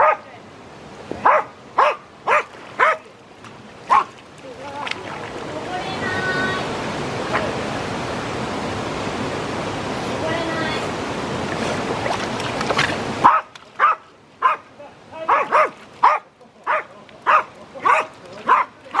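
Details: Jack Russell Terrier swimming and barking: sharp, short barks repeated about every half second, interrupted by several seconds of loud splashing water, then resuming in a quicker run of a dozen or so barks.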